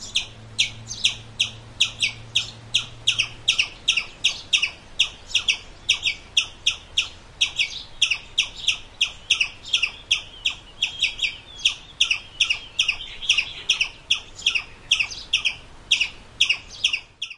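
A squirrel gives sharp, high chirps in a steady series, about three each second.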